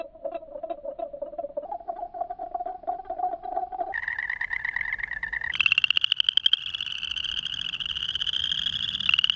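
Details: Spring peeper (chorus frog) mating calls recorded close up at a small pond, first slowed to a low pulsing tone, then rising to shrill, high peeps.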